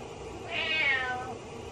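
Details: Domestic cat meowing mournfully while the owner is in the shower: a single moderately loud, high meow that rises then trails downward, with constant running-water-like hiss behind.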